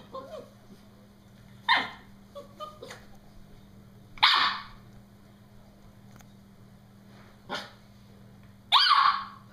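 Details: Norfolk Terrier named Brody shrieking at his balloon while playing; a few loud, rasping high yelps break out several seconds apart, the last one longest, separated by quiet stretches with faint softer whines and a constant low hum.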